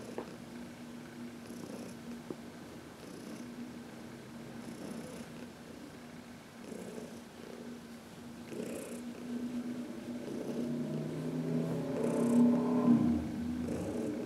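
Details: A 14-year-old senior cat, adopted from a shelter, purrs contentedly while being massaged in the sun on March 19, 2021. The low, steady purr pulses about three times a second and swells louder toward the end, with soft rustling of handling.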